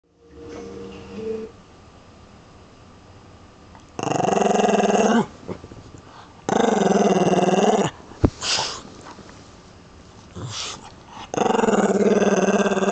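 A Lhasa Apso growls in long, rumbling bursts with a moaning, talkative quality.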